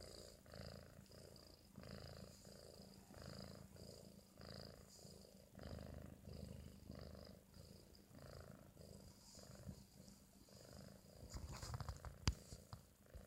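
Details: Sleeping British Shorthair kitten, four months old, napping after eating: soft rhythmic snores, deep and rasping, repeat roughly every half second in even pulses; rustling and clicking noises break in near the end.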